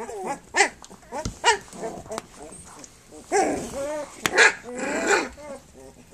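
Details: Flute's puppies at three weeks old, nursing and playing, make thin, bending whimpers and squeals in quick clusters, with a brief sharp click and faint background murmur between the calls.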